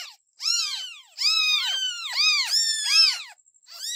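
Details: Kittens giving a run of high, arching meows in quick succession, several voices overlapping with almost no pause for over three seconds.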